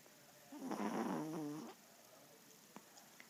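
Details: A male Yorkshire Terrier snores: one drawn-out, rasping breath with a buzzy, layered tone that lasts about a second, followed by quiet with a couple of faint clicks.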